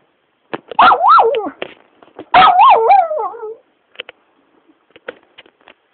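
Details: Shiba dog, a household pet, protests while being teased, with two long warbling yowl-whines that rise and fall in pitch and end on a lower moan. Short clicks and taps follow in the quieter stretch afterwards.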